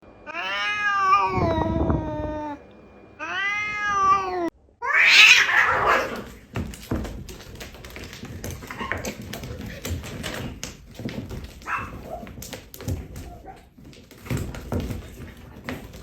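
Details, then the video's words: Two domestic cats, one of them white, in a fight. Two long, drawn-out harmonic yowls wavering up and down are followed by a burst of hissing and scuffling, then quieter rustling and thumps. "cat fight interesting video - very hot white cat funny video - cat original voice - cat vs cat"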